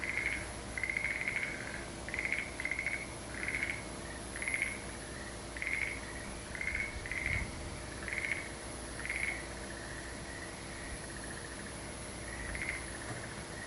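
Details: Frogs calling in chorus at Aso: short, bright pulsed notes in bursts, repeated roughly every half second to one second, some overlapping, over a low steady background hum.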